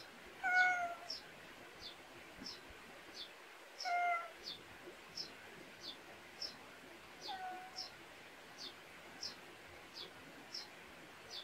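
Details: Meowing of a countryside-raised pet cat in a Korean backyard: two clear meows a few seconds apart and a fainter third one later, while quick high chirps tick steadily in the background.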